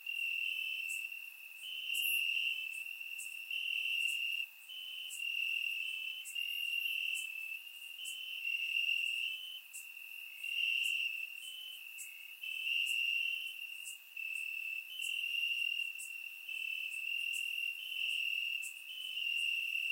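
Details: Crickets in Bulgarian grassland at night during a warm summer, captured by surround microphone: a shrill pulsing trill, rising and falling in loudness roughly every second or two, sprinkled with brief high clicks.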